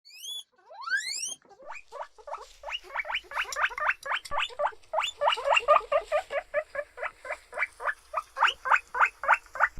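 A guinea pig gives a few high, rising whistles, then a rapid run of short squeaks.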